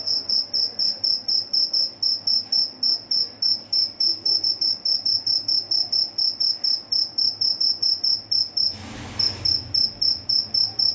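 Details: Cricket (jhingur) chirping at home at midnight: a steady series of short, high-pitched, pure chirps, about four per second, continuing evenly throughout, with a brief rustling noise near the end.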